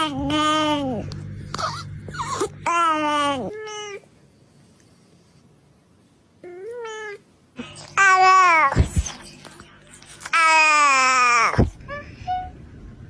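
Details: Cat giving a series of whiny meows, each starting high and sliding downward, some long and wailing, others short, with quiet pauses and a low hum between calls.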